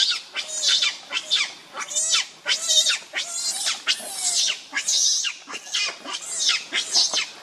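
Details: Monkey named Rainbow, very angry while protecting Lucie from Kachoy, giving harsh, high-pitched screams in rapid bursts, about one and a half per second, each a noisy rising-falling shriek, continuing without pause.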